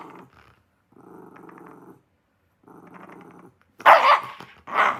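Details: Shiba Inu indoors growling in low, rasping stretches of about a second each, then breaking into two loud, harsh barks at the end.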